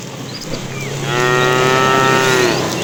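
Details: Tame cow in a herd being driven in the afternoon, a fat animal calling the female: a long, steady, loud moo of about one and a half seconds with rich harmonics, plus a faint bird whistle and background rumble.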